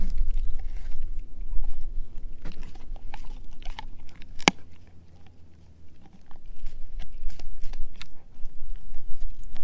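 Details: German Shepherd mix Edu crunching a dehydrated pig ear dog chew; quick irregular bites around four per second, one sharp loud crack midway, a brief quieter lull, then steady gnawing resumes over a faint hum.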